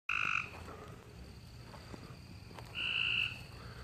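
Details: A male frog calling at night out in a backyard in the dark, falling silent once a light comes on: two short, buzzy pulsed trills with a bright harmonic band, nearly three seconds apart, over a faint low hum.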